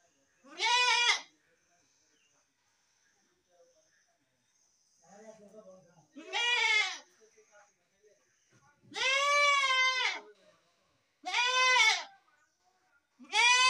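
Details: Goat bleating in loud, wavering, nasal cries about a second long, five calls spaced irregularly over fourteen seconds, with faint soft murmurs between them.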